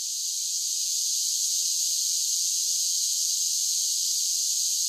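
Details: Cicadas singing in summer: a steady, high, hissing drone that holds at an even loudness for the whole stretch, with no lower sounds beneath it.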